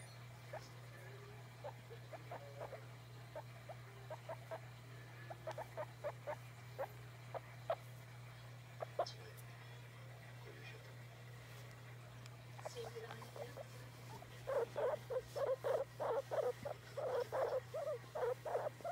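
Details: Domestic guinea pig asking to be stroked: scattered soft squeaks for the first half, then a louder run of quick, evenly spaced chirping squeaks near the end, over a constant low hum.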